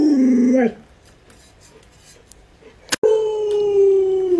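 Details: Indoors beside an owner sick in bed, the pet Alaskan Malamute Luoluo gives a short low howl that rises at its end, a long pause, a sharp click, then a steady sustained howl slowly sliding lower.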